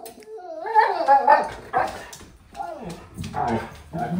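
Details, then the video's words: Siberian huskies greeting dad coming home, reacting after hearing the garage; short wavering howls and whines gliding between mid and high pitch, with a person's voice mixed in. "Huskies reaction when dad comes home"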